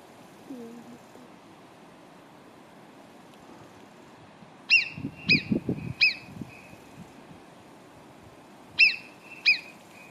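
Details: Marmots below Arpisson near Cogne give sharp, high, piercing whistles, each short and clipped, in two loose bursts.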